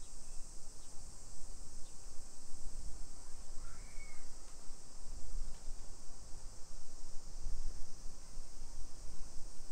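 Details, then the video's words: Summer cicada chorus in suburban Nisshin, Aichi Prefecture, Japan, on the afternoon of 28 July 2021, a loud, constant high hiss, while a short whistled bird chirp cuts in near the middle and low traffic-like rumble continues. "Summer Cicadas Sounds"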